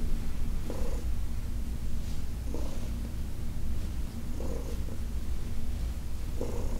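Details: An old shelter-adopted female cat purrs during a massage session: a continuous deep rumble, with brief brighter, slightly tonal breaths recurring about every two seconds.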